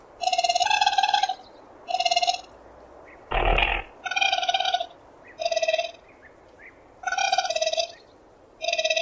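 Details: Raccoon (Procyon lotor), call.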